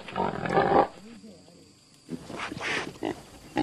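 A pig gives a loud, rough squealing grunt, then softer low grunts and a few harsh, noisy snorts; voices are faintly mixed in.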